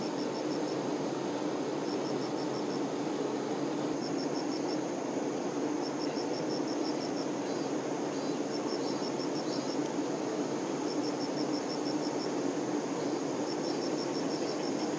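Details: A steady, dense drone rises from honey bee workers looking after the queen. Brief high, rapid ticking series recur roughly every two seconds above the unbroken hum.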